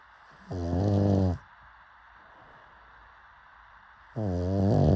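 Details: Pug asleep, giving two low, harmonic snores of about a second each, separated by a silent gap of nearly three seconds.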